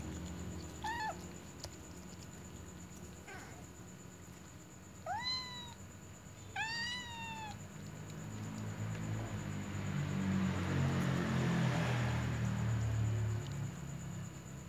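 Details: Little cats meowing around a ginger cat eating a meatball, wanting to snatch its food; four short arched meows in the first eight seconds, then rustling and low background noise with a steady high hum.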